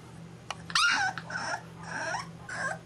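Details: Six-week-old tri-color English bulldog puppy, one of three brothers, indoors, giving a string of high, wavering whimpering cries in four or five short bursts, the first loudest with a slight falling whine; a faint low hum sits underneath.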